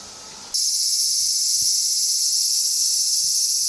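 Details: Summer cicada chorus near Tokyo, Japan, in August, starting abruptly as a loud, unbroken high shrill buzz that holds steady throughout, with a few soft low thumps underneath.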